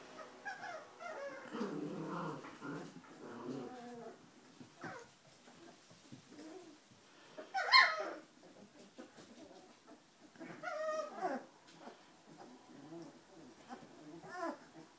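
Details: Giant Schnauzer pups of an H litter, four weeks old, make soft scattered whimpers and short low growls indoors, with one sharp squeal midway and thin whines later.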